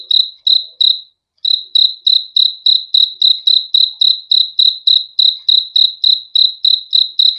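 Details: Crickets chirping in a steady series of short, high, ringing pulses, about three per second, with one brief pause near the start; no other sounds.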